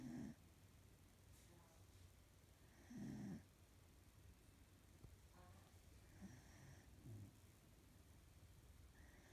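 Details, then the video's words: A female corgi snoring in her sleep, with rough, rasping breaths repeated about every three seconds. "Corgi snores"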